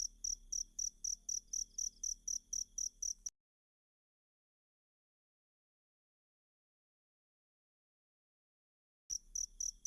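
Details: Masteran cricket track for kacer birds: about three seconds of rapid, shrill chirps at roughly four per second, then near six seconds of silence before the chirping briefly resumes.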